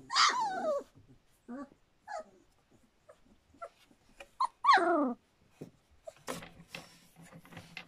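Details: Standard Poodle puppies a little over three weeks old at Cantope Standard Poodles, with drawn-out falling whines opening and returning near the middle, short squeaks between, and rustling movement noise toward the end.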